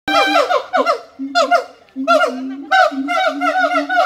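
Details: Siamang calling in bursts of harmonic, wavering notes over a steady low tone, each burst sliding downward and repeating in quick succession, separated by short pauses.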